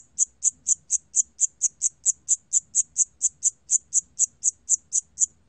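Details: Siamese cricket from a 2020 National Institute of Biological Resources recording, giving bright, piercing chirps in an even, unbroken series of roughly four per second, with only a faint low hum beneath.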